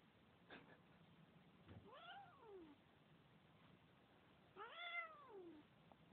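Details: Domestic cat giving two clear meows over a faint background hiss, each a smooth arching call that rises and then slides downward, the second one louder and fuller.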